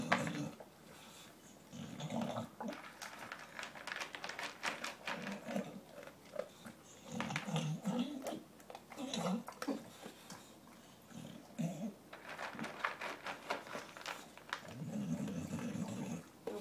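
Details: Gavin, a dog, eating his dinner indoors while trying to finish his food before the other dogs reach it; low rumbling growls come in short bursts over about sixteen seconds, mixed with clicking, chewing noises and occasional human speech.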